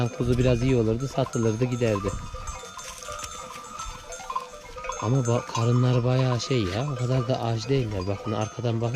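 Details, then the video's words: Lambs newly separated from their mothers call out for them: a dense chorus of loud, wavering, quavering bleats overlapping one after another, broken by a quieter stretch of background noise midway before the bleating resumes. "ARTIK KUZULAR ANNELERINDEN AYRILDI | ANAAAA ANAAA nerdesin diye bağırıyorlar"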